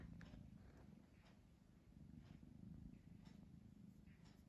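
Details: Pet cat Pamuk, undecided between sleeping and playing, gives a continuous low purr that swells and eases in a slow breathing rhythm, with faint rustles above.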